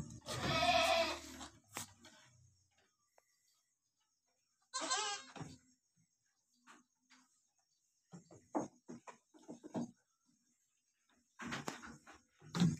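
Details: Newborn goat kids being licked by their mother; a strong wavering bleat opens, another short bleat follows near five seconds, then scattered quieter rustles and soft calls.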